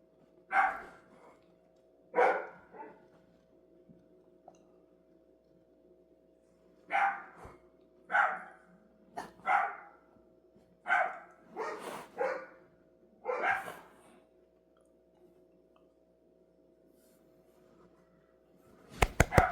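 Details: Dog barking repeatedly, sharp single barks and short clusters spaced one to two seconds apart, over a constant electrical hum, ending in a burst of clatter.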